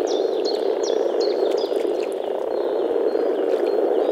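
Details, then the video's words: Male European common frogs (Rana temporaria) gathered in a small forest pond in early spring to mate, giving a dense, continuous, deep grumbling chorus through their vocal sacs; a bird repeats high, sharp chirps every half second over the first two seconds. "Nature sounds – European common frog (Rana temporaria)"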